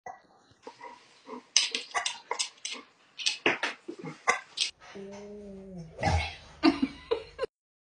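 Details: A giant male Alaskan Malamute, said to hiccup louder than he howls, hiccups loudly in sharp, gulping bursts, with a brief moaning tone partway through.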